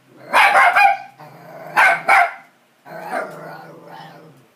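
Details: Dog barking at the TV: two bursts of harsh, doubled barks, each pair close together, then a drawn-out whining, moaning vocalisation that trails off over the last two seconds.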